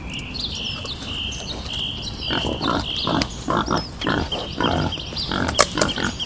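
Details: Wild boar breaking into coarse, choppy grunts after a quieter opening, several in quick succession, with a shrill steady drone, bird chirps and a few sharp clicks near the end.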